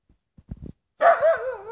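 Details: Two hungry Husky puppies, Cody and Stani, demanding breakfast and asking to have their dish filled; a few soft thumps, then a loud drawn-out, wavering howl-like whine that dips and rises again before trailing off.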